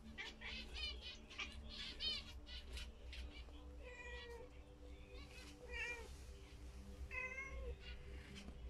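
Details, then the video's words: A domestic cat watches caged zebra finches and meows at them repeatedly, three clear wavering meows spaced a second or two apart, with rapid high chirps of the finches throughout. "Gata a comunicar com os mandarins"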